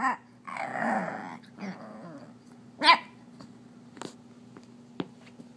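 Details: An 8-week-old female beagle puppy, upset because her toy was taken, growls low and long, then lets out one sharp, high bark.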